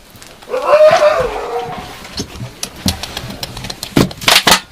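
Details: Yakutian Laika puppies give a drawn-out whining cry that rises and then falls, followed by scattered clicks and knocks.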